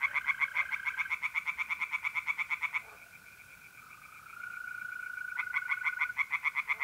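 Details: Tree frogs sing from a pond on a mid-April night in north-eastern Italy: fast pulsed croaking series stop for a few seconds, leaving only the steady humming trill of mole crickets, before the frogs start up again.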